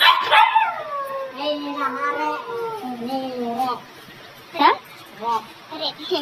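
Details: Siberian Husky giving drawn-out, wavering howl-like vocalizations that slide downward and bend in pitch, followed by a few short yips near the end, with faint human voices in the background.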